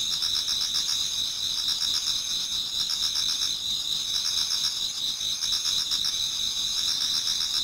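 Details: Toward dawn in autumn, a Japanese garden alive with many singing insects; dense high-pitched trilling runs without pause while a pulsed chirping layer swells and fades in bursts.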